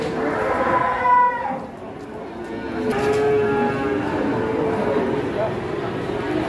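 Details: A group of giant cattle, with lowing among the herd: a brief rising moo around the first second, then a drawn-out bellow near the third second. Crowd chatter and speech run underneath.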